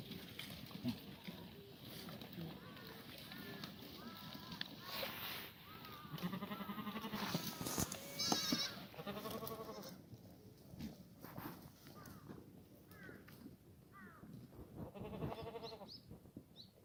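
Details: Korean black goats on a farm in Gimhae, South Korea, on a clear Sunday morning in late March during a cold snap that froze the water trough; several bleats, harmonic and wavering, mid-clip and near the end, with human talk and farm noise.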